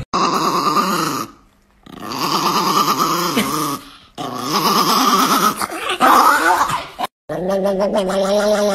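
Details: Angry pet Chihuahua named Nikki, indoors, voicing a long tonal growling whine in three sustained bursts with wavering pitch and short silent gaps, while a person talks and coaxes it to 'say awa awa'.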